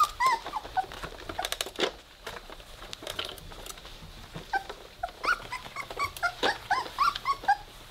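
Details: Weimaraner puppies at three weeks old at play indoors, beginning to growl: scattered thin squeaks and whimpers, sparse at first, then a busy cluster of high yelping squeals near the end, with light scratching and bumping sounds.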